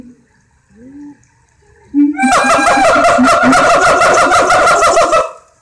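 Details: Siamangs in a zoo in Alexandria; a few low, hollow hoots are followed by a sudden, loud burst of rapid, regular barking notes, about four per second, sustained for three seconds before stopping abruptly.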